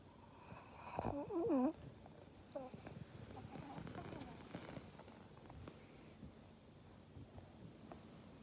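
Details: Pug named Maria in Japan, 24 January 2021, lets out one short wavering, warbling whine that rises and falls for under a second, followed by quiet indoor background with faint soft sounds.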